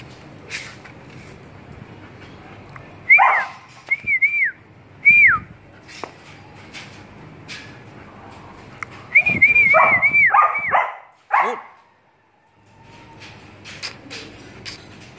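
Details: A one-year-old female German Shepherd whines in high, thin, whistle-like tones that rise and drop, each under a second, in two short clusters a few seconds apart with quiet between.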